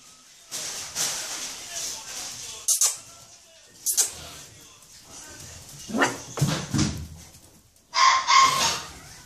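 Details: Bull Terrier (Canis lupus familiaris) puppies give short, sharp yelps and whimpers, with people talking nearby.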